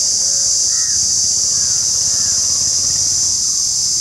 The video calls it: The Indian Cicada : shrilling sound and video